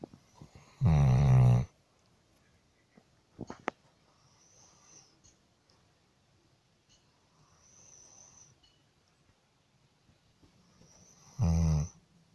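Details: Sleeping dog giving two deep, buzzy snores around ten seconds apart, with a quiet room between them broken by brief knocks and a faint high whine.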